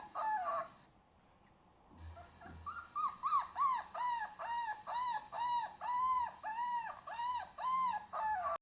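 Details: Pet dog reacting to different sounds: after a brief quiet gap, a run of arched, tonal whining notes with rich overtones, repeated about twice per second and steady in rhythm, rising then falling within each note.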